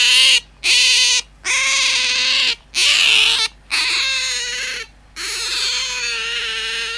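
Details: Tame pet otter squealing to wake its household: several long, strident, steady-pitched cries separated by brief silences, the last one drawn out and continuous, with a quiet low hum indoors.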